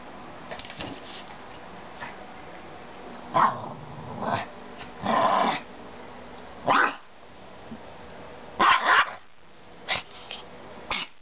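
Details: Maltese dog barking and growling in short bursts, some doubled yips, spaced irregularly over several seconds with quiet gaps between.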